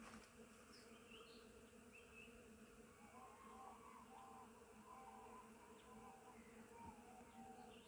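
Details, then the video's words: Bees at a flowering willow in spring make a constant low humming drone, overlaid by scattered whistled bird notes and brief twitters in the second half. "Million bees, can you see them? ;) Full volume. Real sounds of nature"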